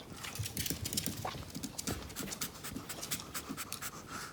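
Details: A small brown Pomeranian of about 2.5 kg pants while begging for the pear its owner is eating. Quick, soft, breathy puffs repeat several times a second in a steady rhythm, with faint crisp clicks among them.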